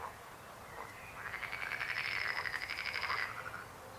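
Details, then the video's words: Frog croaking: one pulsed, rattling call about two seconds long, harmonic bands that rise then fall slightly, with a faint lower call near the end. "Rechot żab. Croaking frog sound."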